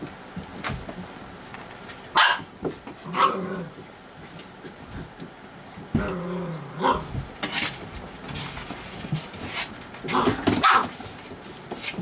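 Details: Puppies playing at night give short, high yelping barks in scattered bursts, with pauses between. Soft rustling and scuffling from their play continue underneath.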